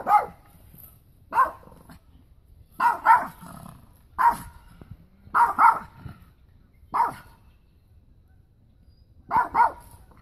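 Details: Pekingese barking repeatedly, with single and paired barks every one to two seconds over a low rumbling background.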